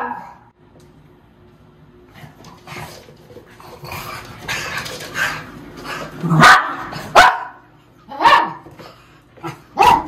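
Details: Two white miniature schnauzers, excited as they are led outdoors to their rest area, let out sharp, punchy barks that grow louder and more frequent toward the end, after a stretch of muffled shuffling and background noise.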